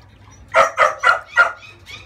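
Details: Thirty-day-old female French Bulldog puppy yelping while being bathed to remove scurf: four sharp, bright yelps in quick succession, then a fainter fifth one after a short pause.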